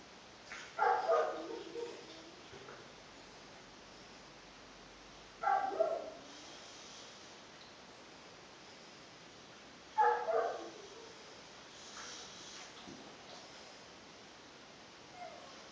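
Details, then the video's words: Very old, almost deaf boxer deeply asleep late at night, snoring in three loud, rasping, breathy snorts roughly every four to five seconds, each lasting about a second, with quiet room hiss between. "Snoring boxer"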